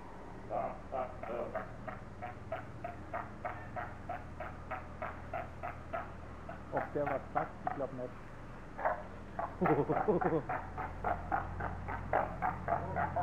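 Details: Seals in Zoo Augsburg, Bavaria, shouting at one another during a squabble: steady, rapid series of short hoarse barks, about three per second, broken by a louder, wavering cry midway.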